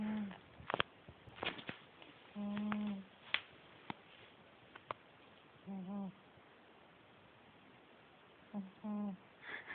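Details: Pet cat asleep and snoring, each breath a low humming whistle lasting under a second, repeating roughly every three seconds, with occasional taps and light handling noises between.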